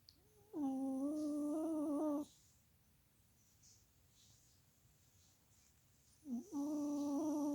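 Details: Chihuahua Molly Marie snores in her sleep: a humming, reedy snore of about a second and a half. A long quiet breath follows, then another similar snore begins with a short rising scoop.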